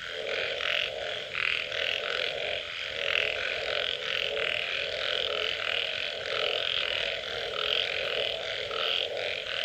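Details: A frog chorus after rain, thick and continuous, with a grunting, croaking low layer and a busy upper layer of rapid pulsing notes and occasional brighter chirps, no pauses across the stretch.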